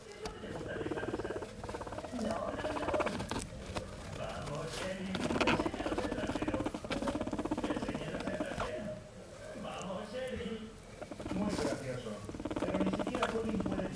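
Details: Pet female guinea pig enjoying a massage while lying on an orange pillow, purring steadily throughout; a rapid low rumbling patter runs continuously with rustling and handling sounds over it.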